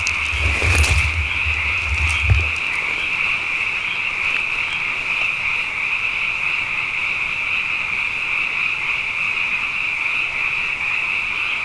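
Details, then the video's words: Abundant frogs calling night after night following two wet years, merging into a continuous shrill, buzzing chorus at an even pitch, opened by a couple of brief handling knocks. "Frog Songs: Na Mele o nā Paloka"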